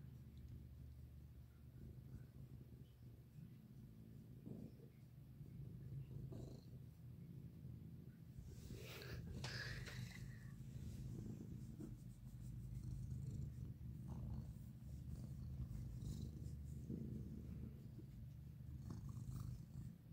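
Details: Cat basking in the sun, purring in a constant low throbbing rumble that swells slightly midway, with a brief rustle of movement around nine seconds.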